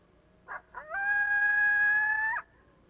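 A coyote gives two short yips, then a steady flat howl that holds one pitch before breaking off.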